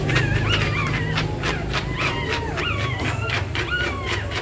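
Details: Whines around a pregnant dog in labour preparing a nest, short curved cries repeating about four times a second, mixed with dense rhythmic scratching and a constant low drone.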